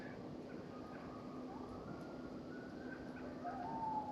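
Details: Several wild coyotes howling from different directions at night near a winter hot-tent camp, groups answering one another; faint, thin rising and wavering tones drawn out over several seconds, distant and soft against a quiet background.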